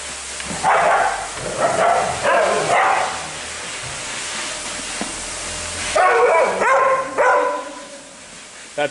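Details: Husky at day care giving drawn-out, wavering, howl-like cries in two bouts, the first around a second in and the second after a quiet spell, with people talking nearby.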